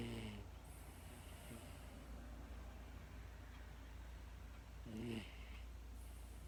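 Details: Female pet Miniature Dachshund drifting off to sleep and snoring: two short harmonic snorts, one at the start and another about five seconds later, over a steady low room hum.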